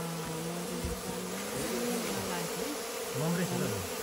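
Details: Local honey bees kept in a hive box inside a goat shed on a Nepali farm, disturbed with smoke during honey harvesting around noon; a steady droning hum that wavers and bends in pitch, with faint voices in the background.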